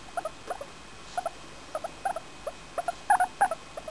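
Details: Happy while being petted, Femi, a four-year-old female English Crested guinea pig, keeps up a quick run of short squeaky chirps, about three per second, a few louder whistled notes near the end.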